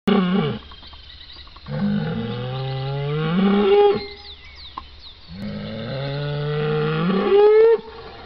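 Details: A bull lowing in a pasture: long deep moos that start low and rise to a higher, strained pitch at the end, two calls a few seconds apart with quiet between.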